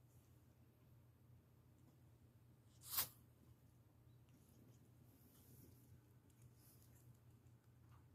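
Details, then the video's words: A six-month-old pet ferret named Romeo sneezes while wrestling and playing indoors: one sharp, explosive burst near the three-second mark, otherwise a quiet room with soft rustling and a low hum. "Ferret hiccups, burp and sneezes on my!!!"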